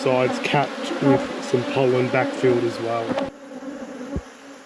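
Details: Honey bees at an apiary hive inspection, with close bees buzzing past in short, loud bursts that rise and fall against a steady background hum. The buzzing stops abruptly near the end, leaving a quieter drone and one sharp knock.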